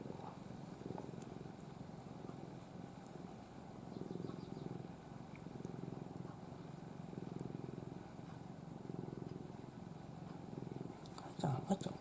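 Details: Ai, a once-stray pet cat known for sleeping with paws raised, purrs while dozing face-down in her owner's arms. A low, steady rumbling purr runs throughout and swells in waves, with a few faint clicks and soft rustling.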